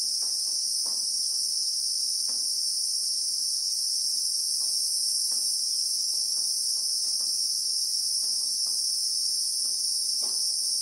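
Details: Christmas beetles (Anoplognathus) in sandy South African bushveld with acacia trees: a continuous piercing whine holding one level throughout, layered in two high bands, with soft intermittent clicks in the background.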